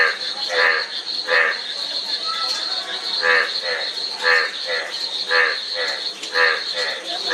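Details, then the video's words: Chorus of frogs, with rasping, harmonic croaks repeated roughly once a second and fainter callers filling the gaps, over a continuous high-pitched insect drone. "Frog Sound--Frog Sound Effect 15 min"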